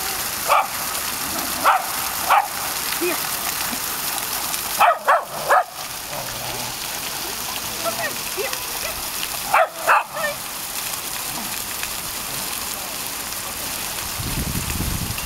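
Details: Sky the tricolor Shetland Sheepdog plays with water in Breskens, Zeeland, summer holiday, 18 August 2011. Scattered single barks, then quick bursts of two or three, against continuous splashing water, with a person talking between them.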